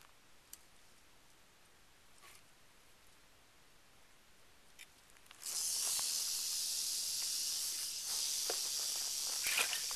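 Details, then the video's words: Northern Pacific rattlesnake, Crotalus oreganus: quiet background with a few faint ticks for about five seconds, then a sudden loud, steady, high hissing buzz that continues to the end with slight surges. "Crotalus oreganus"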